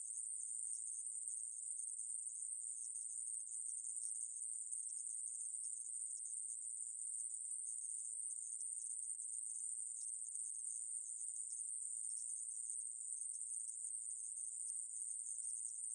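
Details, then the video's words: Coneheaded katydid (애매부리) from a 2020 recording delivering a long, uniform, high electric-sounding buzz, constant in pitch and loudness throughout, with a quiet background. "애매부리, 여러번 듣기, 곤충소리"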